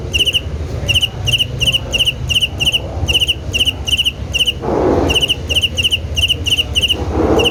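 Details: Steady chirping of a cricket, clusters of rapid high-pitched pulses repeating every half second or so, briefly interrupted by two soft rushing noises near the end.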